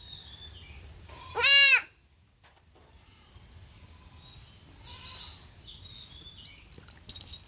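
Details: Young goat kid bleating while being castrated; one short, sharp, high bleat followed by quiet background and faint distant calls.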